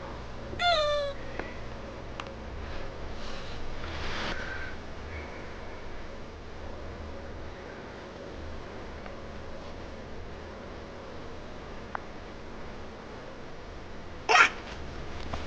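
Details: Young kitten meowing after a person's cough: a short, high, downward-sliding meow near the start, then a second, rising-falling meow near the end, with quiet room tone between.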